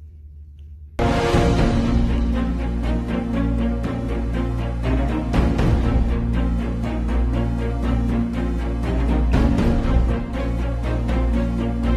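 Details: After a quiet second, dramatic orchestral soundtrack music with booming timpani plays throughout.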